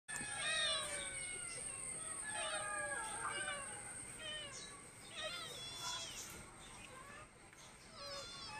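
Persian cats give a string of rising and falling meows, several voices overlapping.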